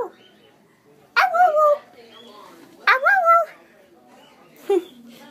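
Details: Young husky puppy playing indoors with a person, giving three short rising whiny yelps with harmonics about every two seconds, the last brief; a person talks quietly between calls.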